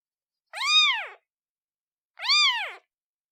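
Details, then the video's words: Newborn kitten calling its mother: two high, clear meows, each under a second, rising then falling in pitch, separated by about one and a half seconds of silence. "Kitten meows sound effect Black screen Newborn cat calling mom"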